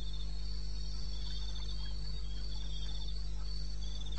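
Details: Wild crickets at night in eastern Botswana, 2:30 am on 21 May: an almost unbroken high, buzzing trill from a few insects, fairly even in rhythm, backed by a deep steady hum.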